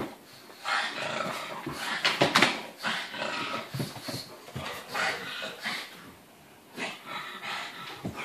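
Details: Indoor romp of an Irish wolfhound in heat, a pug and a Landseer puppy; quiet rough growls and breathy play sounds rise and fall amid constant scuffling and thumping.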